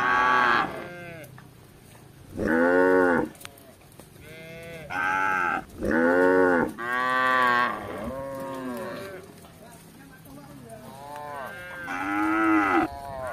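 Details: Gentle cattle roaming a village looking for grass: a string of loud, harmonic moos, each lasting about a second, from several animals calling in turn, with quieter lows between them.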